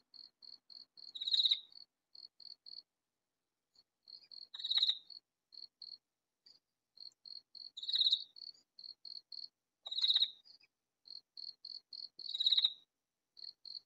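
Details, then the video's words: A very loud katydid, hidden in a vegetable garden, calls with short, high, dry pulses, each series ending in a louder rasping burst. "Katydid calling in vegetable garden Nature Sound Relaxation"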